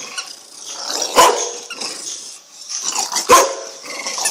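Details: Bulldog puppy playing with a toy bone, giving two short, rough, broadband grunting growls about two seconds apart over a low rustle of play.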